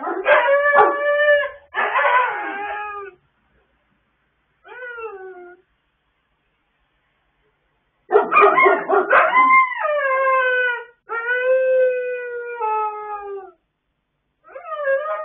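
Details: A chorus of pet dogs howling together late at night, recorded 26 October 2022. Long, tonal howls overlap and slide downward in pitch, some wavering and yelping, in two extended bouts separated by a few seconds of silence.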